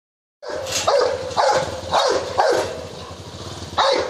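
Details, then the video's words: Rottweiler in India attacking a man: loud harsh barks repeated roughly every half second, six in quick succession, with a low engine rumble underneath. "Rottweiler Attack"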